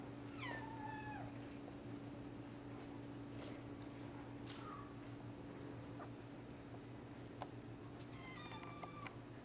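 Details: Indoor litter of hairless Sphynx and Bambino kittens, some awake: a few high falling mews, one longer drawn-out cry at the start and another near the end, with a constant low electrical hum behind.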